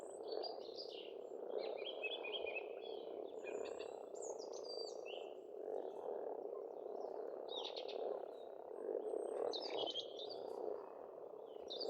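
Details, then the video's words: Spring frog chorus from a pond in rural Estonia: a steady, thick mass of croaks runs throughout while several birds sing busy, twittering and whistled phrases above it. "Расслабляющее пение птиц и лягушек"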